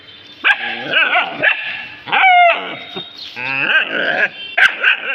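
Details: Dogs reacting to a found object with loud, clustered yelping barks and a sharp rising squeal in the middle, sounds following each other quickly with few gaps.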